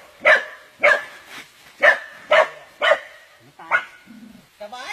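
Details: Dog under attack by an anaconda, barking loudly in a steady series of about seven sharp, harsh barks roughly every half second, with excited human voices shouting nearby at the end.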